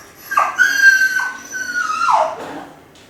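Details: Kai Ken Ichi, lonely while minding the house alone, gives a wolf-like howl from a high spot; one sustained, steady tone held over a second, then dropping and fading, with bright harmonics, indoors.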